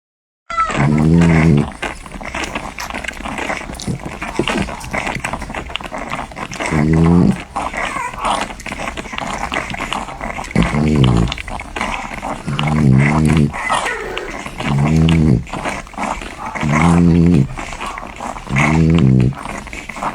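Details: Newborn French Bulldog puppies nursing make short, low, harmonic squeaks and grunts about every two seconds.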